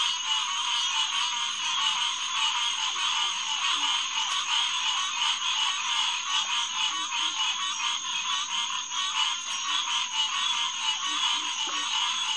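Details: Massed green tree frogs, Hyla cinerea, at Headquarters Pond around 9:10 pm on June 2, 2021: relentless overlapping honking calls forming a thick chorus, a few soft low notes, steady high-pitched hum throughout.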